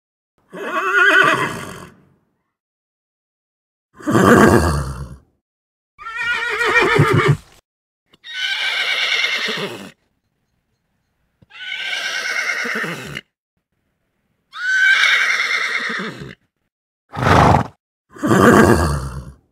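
Horse whinnies in repeated bursts, shrill quavering neighs separated by short silences.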